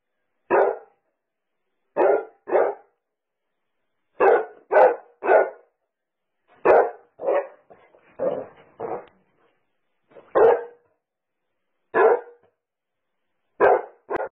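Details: Basset Hound barking over and over, short punchy barks often coming in quick pairs, separated by brief silences of about one to two seconds, with no other sounds behind.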